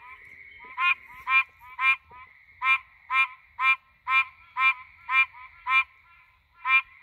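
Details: Threatened Pine Barrens tree frog calling at night in the pines, recorded on a cellphone: nasal, honking 'quonk' notes repeated about twice a second, eleven in all, over a steady high-pitched background drone.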